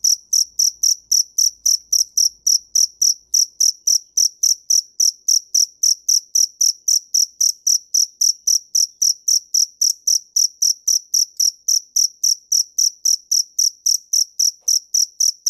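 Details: A cricket repeats bright, high-pitched chirps without pause, about three to four a second, each a crisp trill-like pulse. The rhythm stays even and continuous throughout, over a quiet, clean background.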